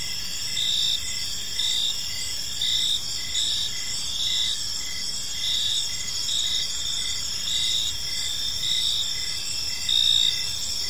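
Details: Several crickets chirp through an evening in a park, a sustained shrill trill with rhythmic short beats about twice a second and a gentle, even background hiss.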